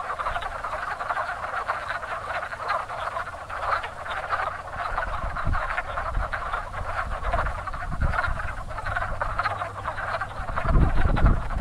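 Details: A crowded spring pond of breeding wood frogs gives a continuous, raspy clucking chorus, about four croaks a second standing out. Low bumps and rumble are heard throughout and grow louder near the end.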